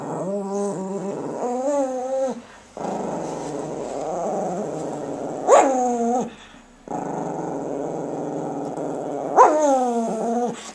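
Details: Female Tibetan Spaniel kept as a pet, protecting a toy she has grabbed: sustained grumbling growls broken by rising whiny howl-like notes with clear harmonics, a couple of sharper yelping onsets, and brief quiet gaps between bouts.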